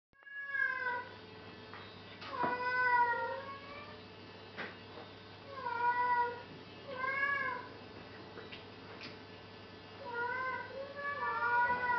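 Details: Cat unable to climb down, meowing repeatedly with drawn-out, wavering plaintive cries in groups every few seconds, separated by short pauses, with a steady low hum underneath.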